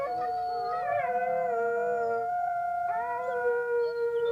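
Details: A small pack of gray wolves (Canis lupus) howls in chorus, long sustained tones overlapping at different pitches.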